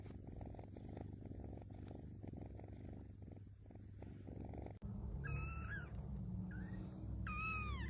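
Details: Domestic cat purring steadily with a low rhythmic rumble for about five seconds, then a sharp click and three meows: two long, falling, nasal cries with a short, softer one between them.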